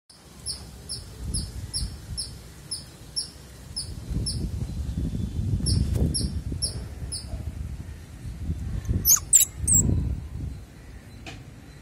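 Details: Small baby squirrels handled during play give thin, high, downward-sliding squeaks, about three to four a second for seven seconds, over low rustling and handling noise, followed by a few sharper scratchy chirps.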